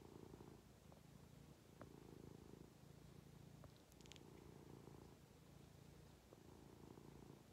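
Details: Contented house cat on its owner's lap, steady deep purring pulsing in long inhale and exhale phases, a brief rustle midway.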